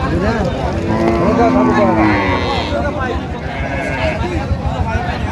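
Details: Cattle lowing at Raniganj haat, Dinajpur, a market selling cows with calves, 23 October 2025. A short, level moo sounds early on, buried among loud voices of buyers and sellers in the busy outdoor crowd.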